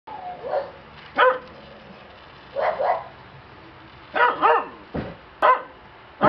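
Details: Black Shiba Inu puppy, male, at a Shiba breeding kennel, giving short, sharp yapping barks, often in quick pairs, about nine over six seconds with brief quiet gaps between them.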